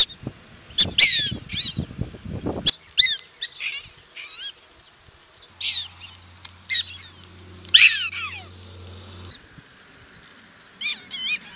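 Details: Young prairie dogs practising the jump-yip in Golden, Colorado, a call said to mean all is clear; sharp, high, wavering yips in scattered short bursts, some rising then falling, with a low steady hum in the middle and light handling noise early.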